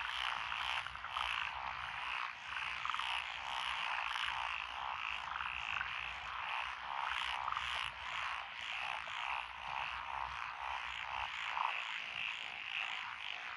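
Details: Night-like chorus of frogs in lotus rice fields, Echizen City, Fukui, Japan, June 12, 2021: dense, unbroken rattling croaks from many callers, with a few brief higher notes standing out.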